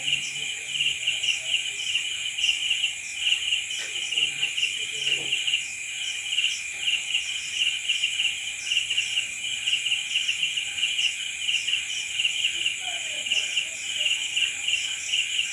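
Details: Night crickets: a dense, continuous high-pitched chorus of rapid pulsed chirps, with a steady buzzing band above and brighter pulses repeating several times a second, overlapping callers throughout, faint low rustles beneath.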